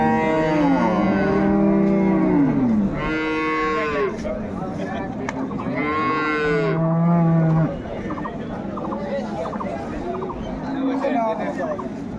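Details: Repeated bellowing from dairy cattle at Ambari livestock market on 21 May 2024: several long moos, some higher and some deeper and rougher, fill the first eight seconds, followed by crowd voices.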